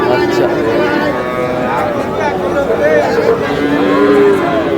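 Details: Lowing Sahiwal cattle at a busy livestock market where a Madaripur farmer buys a Sahiwal bull: several overlapping, moderately pitched moos, some wavering and some level, sound continuously beneath crowd talk and background voices.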